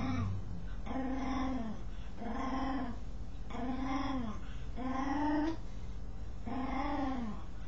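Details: Dog scratching itself while giving odd vocal sounds: five rounded, rise-and-fall moaning tones, each roughly half a second long, repeated at fairly even intervals of about a second and a quarter.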